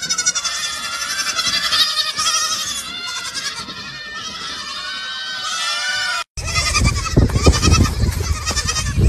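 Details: Baby goats drinking from milk bottles give a dense run of overlapping bleats, many wavering harmonic calls in quick succession, followed by a louder, rougher burst of bleating and handling noise after a short break.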